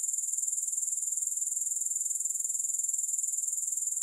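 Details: High, thin grasshopper trill without music, fast regular pulses running without a break for four seconds.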